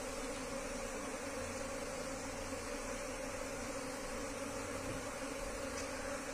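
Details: Asian honey bees from a wild colony, transferred into a cultivation box, produce a continuous, unbroken droning buzz, low and level throughout, with a soft rumble underneath.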